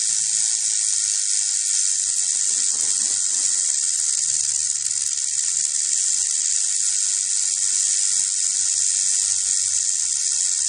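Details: Steady, intense rattling from a rattlesnake: a sharp, hissing high buzz with no pauses, level and unchanging throughout.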